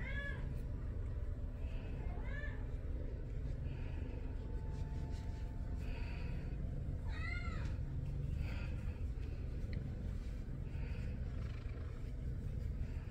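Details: Domestic Shorthair named Tommy, up for adoption, 6 February 2024 around 9:23 AM: a series of short wavering meows, three clearer ones and several faint ones, heard against constant low-pitched room rumble.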